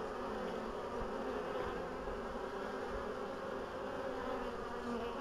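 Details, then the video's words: Steady hum of many bees in spring, 14 April 2013, after a long winter. The colonies wintered well, and the queens resumed laying a week before. The drone is continuous and even throughout, with slight swells in loudness. "Pszczoły, 14 kwietnia 2013"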